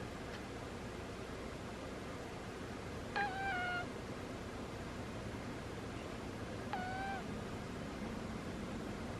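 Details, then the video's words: Squeaky snores from a sleeping cat, two thin whistled squeaks about three and a half seconds apart, each briefly rising then dipping, with quiet room hiss between them. "Cat snores are squeaky"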